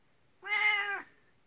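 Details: Kuku-chan, a 19-year-old elderly cat, calls at bedtime from the next room as if saying "come here". One clear, drawn-out meow lasts about half a second, steady then falling slightly at the end, in a quiet indoor room.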